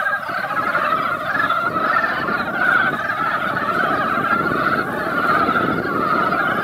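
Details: Dense seasonal breeding chorus of mountain frogs at a mountain pond after a light rain. Countless clucking calls overlap into a continuous churning din that swells and eases slightly, over a noticeable low rumble.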